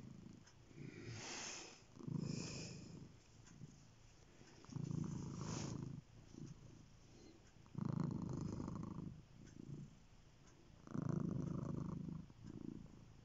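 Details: Purring cat, low throaty rumble rising into strong swells about every three seconds, fainter purring in the gaps, light rustling and clicks on top.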